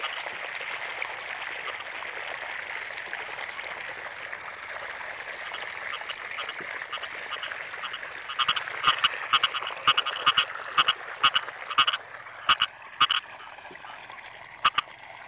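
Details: Frogs in rice fields during the rainy season: a steady, hissing chorus for eight seconds, then louder, pulsed double croaks repeat in quick bursts, mixed with sharp broadband clicks.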